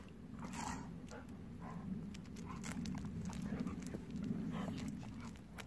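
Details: Golden Retriever sister and brother, aged 10 and 9, named Kohaku and Ibuki, play-fighting at night before heading home after a long day of play; a steady low rough rumbling breath pulses rapidly, with scattered clicks and crunchy bites.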